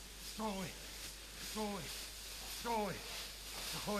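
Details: Great Dane in a leaf-covered forest, one of two dogs, Hunter and Hidalgo von Unterwein, sent to search for a lost mobile phone. Short, falling, tonal whines repeat about once a second over a soft outdoor hiss.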